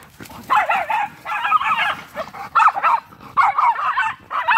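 A Miniature Schnauzer gives rough, grumbling growl-barks in short bursts while playing.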